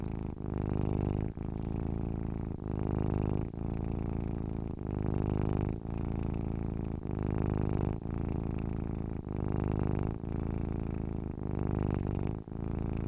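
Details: Domestic cat purring contentedly, a deep, low rumbling hum that runs continuously with steady rhythmic pulses, swelling and easing roughly every second, with brief breaks between pulses and no other sounds.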